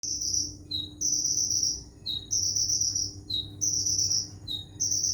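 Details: Cricket chirping, used as isian filler song for training songbirds: clear high whistled bars held under a second, each followed by a shorter lower note, repeating roughly every second and a half over a faint low hum.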